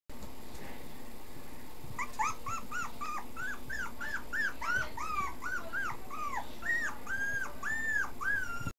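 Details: Male Pomeranian giving a steady run of high, tonal whining notes, each a short arched whimper repeated about three times a second, beginning after a brief quiet start and continuing to the end over faint low background hum.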